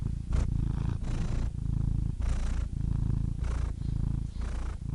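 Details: Close, loud cat purr: a deep buzzing rumble that swells and breaks with each breath, airy rasping inhales roughly every second.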